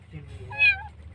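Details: Roadside kitten, found alone and thought abandoned, crying during its rescue: one clear, rising-then-falling meow peaking in the middle, with faint human voice and low background hum.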